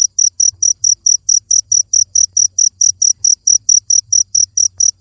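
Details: Rapid, shrill cricket chirps pulse evenly at roughly four a second, each a short bright burst, over a faint low hum.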